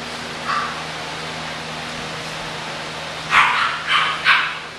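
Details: A lone yelp from English bulldog puppies, then after a pause three quick barks in a row, all bright and short over a constant low electrical hum.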